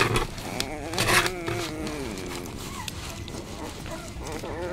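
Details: 16-day-old Basset Hound puppies give thin, wavering whines and squeaks that rise and fall in pitch.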